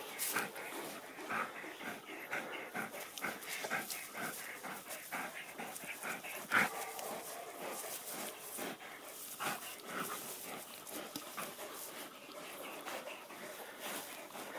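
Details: A female Sarplaninac guarding a farm gives harsh, irregular bursts of barking amid rustling and scuffling as she confronts a badger.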